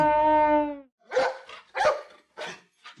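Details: Dog barking: four short, sharp barks roughly every half second, following a sustained tonal sound at the start.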